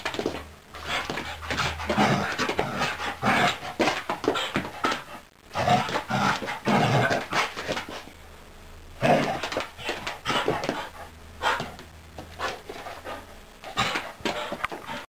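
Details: Irish Terrier indoors, breathing in quick, breathy bursts like panting, in uneven runs with short pauses, plus faint rustling and a low background hum.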